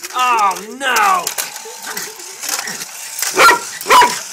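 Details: Rita Rae, a Jack Russell Terrier chasing a race car, starts with drawn-out, wavering whines, then falls quiet before two short, sharp barks at the end over faint background noise.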